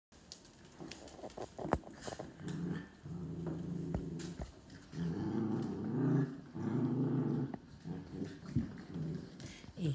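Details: Dogs play-growl while having fun, possibly playing tag, in low rumbling bursts of a second or two with brief pauses, broken by a few sharp yips and faint background speech; it is play, not aggression.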